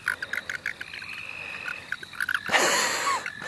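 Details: Frogs in the St. Olaf College Natural Lands give quick pulsed clicking calls, about four each second, over a faint trilling chorus. A loud rustling burst of handling noise cuts in near the end.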